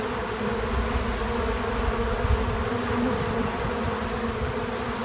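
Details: Natural buzzing of bees at a feeder: a thick, low-pitched hum, heavier in its deepest rumble, steady in loudness with a brief swell around the second second, and no other clear sounds.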